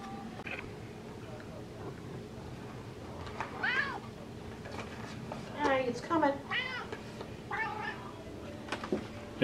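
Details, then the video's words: Female house cat waiting for tuna fish, meowing and chirping repeatedly: several quick rising-falling meows, some in rapid pairs, while a person talks to her and bag rustling and clicks are heard indoors. "Cat Meows and Chirps for Tuna Fish"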